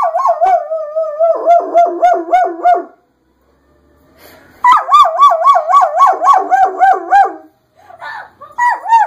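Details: German Shepherd howling in reaction to a passing fire engine siren, its voice sounding like the siren itself; loud wavering, warbling howls in long runs with rapid pulsing, broken by a short silence, then a brief final howl.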